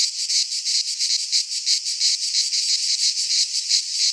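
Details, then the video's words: Greek cicadas in a pine forest at midsummer: shrill, grating buzz swelling and fading in rapid beats about three per second, continuous and loud, free of other animals or human noise. "Cicadas singing in midsummer - Nature sounds from the Greek fauna - Sounds of cicadas"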